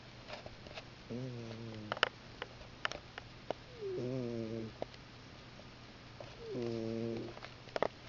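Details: Pet cat snoring loudly indoors, three drawn-out harmonic snores each under a second long, spaced about two and a half seconds apart, with small clicks and rustles between them.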